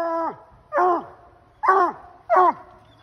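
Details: A loud Bluetick Coonhound named Ol Blue bays at a treed raccoon. Four short, resonant barks sound within three seconds, and each one drops in pitch at its end.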